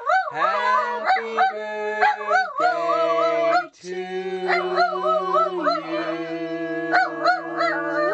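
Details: Pet Miniature Dachshund Skeeter howling with a Happy Birthday song. Wobbly, undulating howls ride above sustained low human singing, with a short pause midway before the howling resumes.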